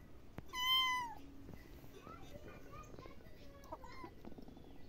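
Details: A single loud, drawn-out cat meow opens the clip, sliding downward at the end, followed by faint household sounds and a few soft murmurs.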